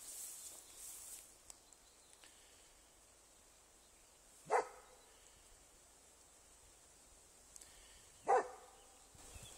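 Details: Vizsla in a forest during an encounter with a roe deer: two short, sharp barks about four seconds apart, with quiet woodland and faint background hiss between them.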